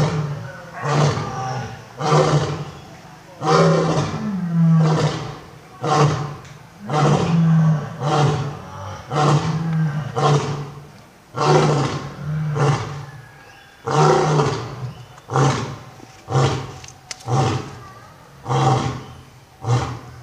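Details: Lions, old and young, roaring: a long series of about seventeen deep, throaty bursts, each under a second, coming roughly every second and building into a grunting sequence, with a steady low hum underneath.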